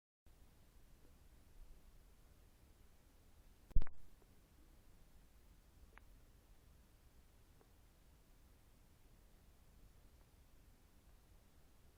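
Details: Near silence in a small indoor room, a low faint hum throughout and one sharp click just before four seconds; no animal voice stands out.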